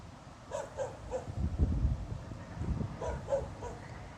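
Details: Dog barking without apparent reason in the middle of the night, 26 November 2016. Two quick runs of three sharp barks, about two and a half seconds apart, over a deep background hum.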